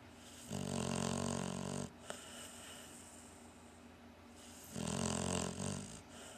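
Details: Cocker Spaniel and Shar Pei mix dog snoring in its sleep: two long, rough, low rasping snores of about a second each, separated by quieter breathing, over a steady faint hiss.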